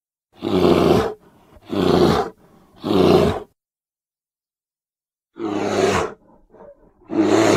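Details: Edited recording of a grizzly bear at Grizzly Park giving deep, rasping roars in a steady series, each lasting under a second.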